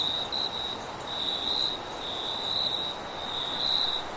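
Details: Crickets trill steadily at night at a high, even pitch, with a soft hiss of wind behind them.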